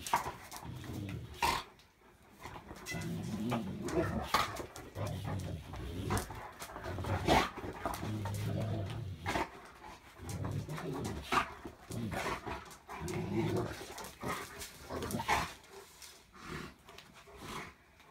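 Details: Great Pyrenees dog romping indoors at home after a long time away; low rumbling growls and panting huffs come in irregular bursts through a small room, with thumps and scuffling of play.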